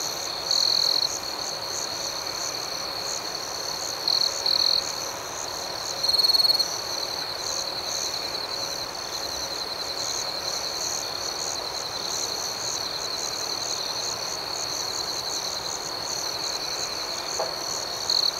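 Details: Crickets chirping after dark, an unbroken high trill with rapid pulses above it; louder trilled bursts stand out near one, four to five and six and a half seconds, then the chorus settles evenly.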